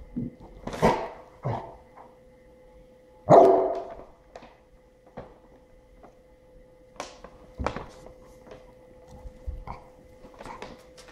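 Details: Goose, a Golden Retriever, barks while wanting to play with Norman the cat hiding in a paper sack; a few sharp barks and yips spaced by pauses, over a steady background hum and rustling.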